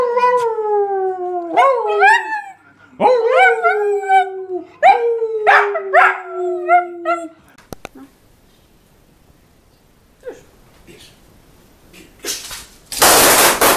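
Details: Jack Russell Terrier giving a run of short howls and yips that rise then fall, about six in quick succession, followed by near silence and a burst of loud noise at the end.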